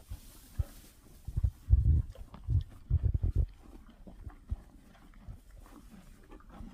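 Cows chewing and tearing at feed, with soft, irregular low crunches and thuds.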